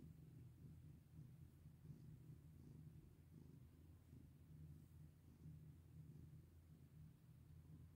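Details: Pet cat purring as it is stroked, a continuous deep rumble with gentle rhythmic swells of breath, no other sounds standing out.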